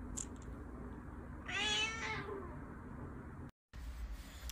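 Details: A Persian cat gives a single drawn-out meow lasting about half a second, with a rich stack of harmonics that rises slightly and then falls away, over a low steady room hum.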